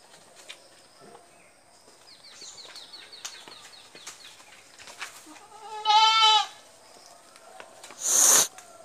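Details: Goat on a farm giving one loud, harmonic, slightly wavering bleat lasting about half a second midway through, with soft rustling and faint clicks beforehand and a sharp noisy burst near the end.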